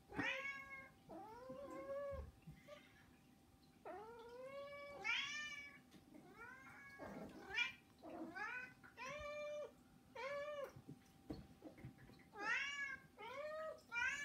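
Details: Begging from three domestic cats kept indoors: rapid, overlapping meows, around ten in all, many short and arched with strong upper harmonics, plus occasional clicks and bumps.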